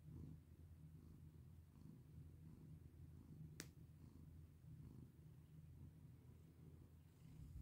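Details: Cat purrs contentedly under a petting hand, a low, throbbing hum that runs on evenly, broken once by a sharp click partway through.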